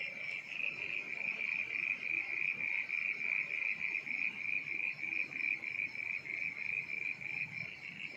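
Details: At night in the rainy season, crickets chirp in a steady, high, shimmering, rapidly pulsing trill as frogs also call once rain starts.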